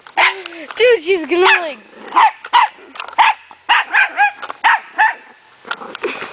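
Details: Puppy barks in short high yaps spaced about half a second apart, opening with a drawn-out wavering whine before the barking settles into a steady run.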